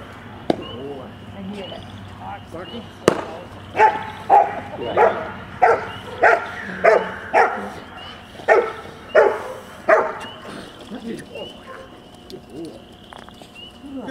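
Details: A 10.5-month-old Rottweiler puppy in bitework training barks in a steady run of about a dozen loud, clipped barks, roughly one every half second. A handler's voice is heard before and after, praising the dog.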